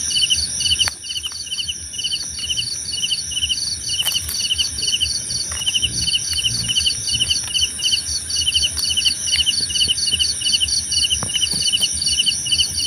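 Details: Several crickets calling together. Pulsed chirps pour out in steady trains, with brief clicks and pops scattered through, and an unbroken piercing high-pitched hum sustained throughout.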